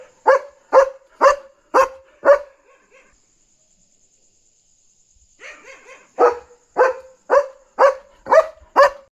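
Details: A German Shepherd barks loudly in deep, steady bursts, about two a second, at night, excitedly jumping around to alert that a dog is outside and guard its territory.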